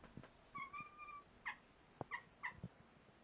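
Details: Domestic cat talking to its owners indoors: one drawn-out, level, tonal mew, then three short chirping meows spaced about half a second apart, with soft knocks and clicks between them.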